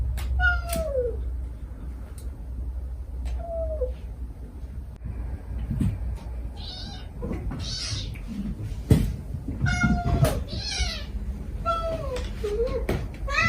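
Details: Stray mother cat softly calling her kittens as they answer with begging cries: repeated short falling meows, some faint high squeaky kitten mews midway, scattered clicks and a low background hum.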